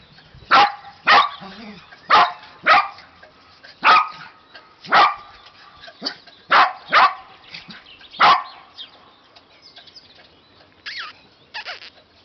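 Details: Shetland Sheepdogs from a German kennel, April 2017; sharp, loud single barks repeat at irregular intervals of about a second or two, ten clear barks, ending with a couple of softer higher yips.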